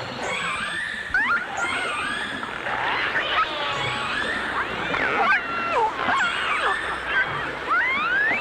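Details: Whistling dolphins, from a 1989 stereo recording of dolphins and orcas: sharp upward-sweeping whistles, wavering tones and short chirps tumble over each other, with crackling clicks and a constant underwater hiss beneath.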